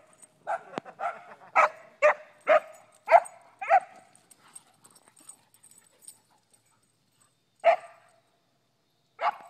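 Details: Dog barking in a rapid, uneven series of about eight sharp, punchy barks over four seconds, then scattered soft clicks and a quiet pause before two more isolated barks, with a faint high whine underneath.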